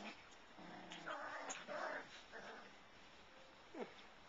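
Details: Five-week-old Labradoodle puppies of the Goldie/Seeker litter make low growly grunts and whiny, tonal whimpers in a short run, ending with a brief rising squeal over a steady background hiss.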